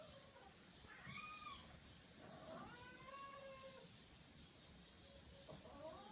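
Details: Cat giving several faint, drawn-out meows that rise then fall in pitch, spaced a second or two apart over steady background hiss.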